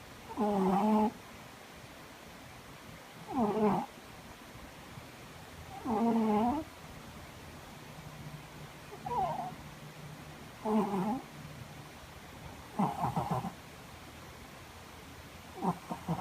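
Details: Cat snoring loudly with a steady rhythm, seven short, raspy, tonal breaths about every two and a half seconds, with a faint low hum in the background.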